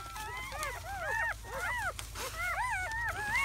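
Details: Seven German Shepherd puppies, four male and three female, in their first hours after birth on May 7–8, 2017, squeal together in thin, high, arching whines that overlap constantly.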